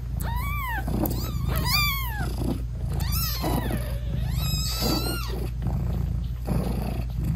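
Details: A British Shorthair mother cat talks sweetly to her tiny kittens while nursing them. She gives a run of clear, arching meows, about six in quick succession, each rising then falling, over a low background purr.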